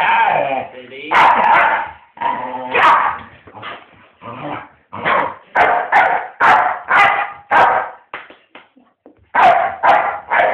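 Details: Pet dog playfully trying to bite its owner, who says he loves them really; a run of short, loud barks and yips, about one every half second, some harmonic and ringing, with human speech mixed in.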